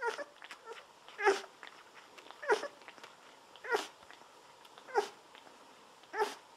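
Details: Day-17 Golden Retriever pups bottle-fed with milk while on their backs. Regular squeaking, suckling pulses recur about every 1.2 seconds, each a brief broadband burst with a faint tonal squeak, separated by quiet gaps.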